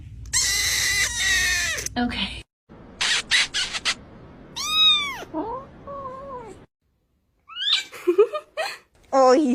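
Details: Indoor domestic cat, said to be not happy, letting out a clear arching meow amid loud bursts of noise, human speech and short higher cries, with brief pauses of silence between sounds.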